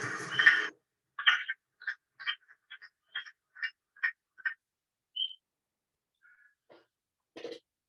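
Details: Wood frog from Maine, its call likened to ducks quacking: a series of short, clucking, quack-like notes about every quarter to half second, fading out, with a brief whistle and a few scattered knocks.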